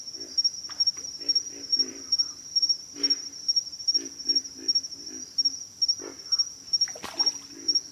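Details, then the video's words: Pig frogs croak in rapid low grunts, often doubled, at an uneven pace; a steady thin insect whine persists and a sharp click sounds near the seventh second. "pig frogs - sound effect"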